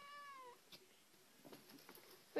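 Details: Kitten meowing indoors: a clear, high, slightly falling mew lasting about half a second, followed by quiet room sounds and light tapping; a person's voice asks to take something nearby.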